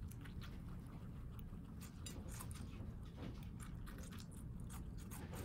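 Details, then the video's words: Several guinea pigs, pets in a New York City home, chew watermelon in dense crunchy bursts of biting and squishy mastication, continuous through the stretch, with low indoor hum beneath. "Guinea Pigs Eating Watermelon ASMR crunch"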